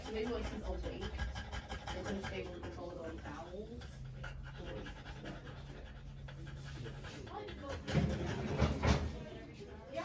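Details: Fast breathy panting from a female French Bulldog undergoing trans-cervical insemination, close to four pants per second, while people talk over it; a few louder knocks and rustles near the end.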